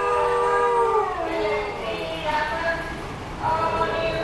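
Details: Several huskies howl together at a van siren, sustained wavering tones sliding downward and then rising again in overlapping voices, with the siren and a rumbling vehicle noise underneath.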